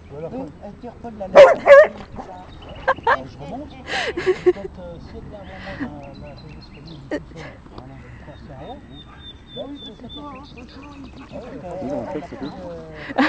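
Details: Older female golden retriever defending a stone from Ganache, a persistent Bernese Mountain Dog, after training; a loud double bark at under two seconds, further barks around three and four seconds, then quieter scuffling and voices.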